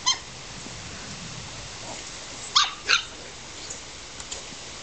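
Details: Playing Australian Terrier puppies in a garden, July: one short yap at the start, then two quick, sharp, harmonic-rich yips in close succession, with soft background hiss.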